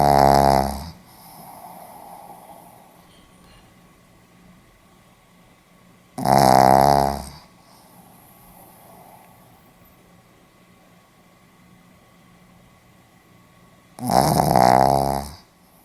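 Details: Pomeranian dog snoring in its sleep, recorded 4 November 2015 in Hiroshima; three loud, harsh snores spaced roughly seven to eight seconds apart, each about a second long, with faint breathy exhales between in a quiet indoor space.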